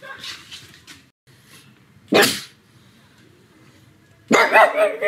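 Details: Pug dog at home on a sunny afternoon, barking loudly: soft human speech at first, then one sharp bark, and a second longer, rougher bark near the end.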